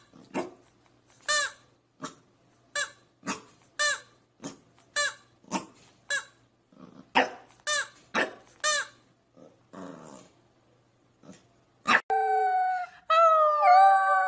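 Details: Pembroke Welsh Corgi puppies: a run of short, sharp, high yaps repeated about twice a second with brief gaps, ending in longer drawn-out whining squeals with falling and rising pitch.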